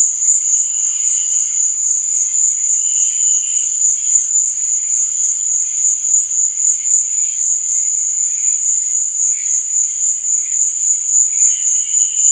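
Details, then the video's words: Night cricket chorus with an unbroken shrill, high-pitched trill and quieter, lower chirping bursts that come and go over the steady drone. "Cricket Sound| Sleep and Relaxation Nature Sound| Stars &Moon| Cricket Noise| Night Sound"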